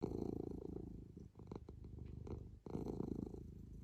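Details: Domestic cat purring close by: a loud, throaty low rumble that softens and dips in the middle, then swells back up strongly near the end.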